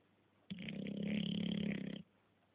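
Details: English Bulldog asleep, snoring in a small room: one long rasping, buzzy snore of about one and a half seconds, steady and pulsed, with a low hum underneath.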